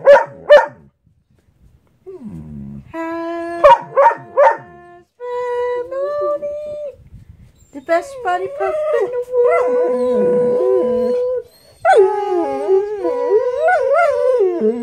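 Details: A Dalmatian, woken from sleep by his owner singing a waggy-tail song, gives sharp yips and then long, wavering, tuneful howls alongside her, seemingly annoyed.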